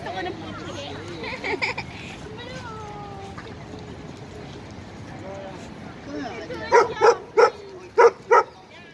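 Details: At a dog park, an 11-month-old Irish Wolfhound plays with its best friend, an Italian Mastiff; people chat for several seconds before a quick run of five sharp, loud barks near the end.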